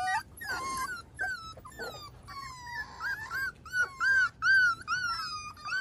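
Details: Miniature Schnauzer family on a deck with five-week-old pups, Sunday morning, May 9, 2021: scattered yips and rustling at first, then clear rising-and-falling whines repeated quickly toward the end.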